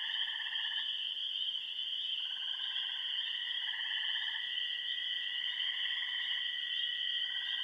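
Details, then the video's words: Chorus of frogs at remote ponds on the Yellow Dog Plains in Upper Michigan: a constant high shrill drone beneath pulsed trills about a second long, starting and stopping in overlapping turns. "Frog Songs of the Bentley Ponds"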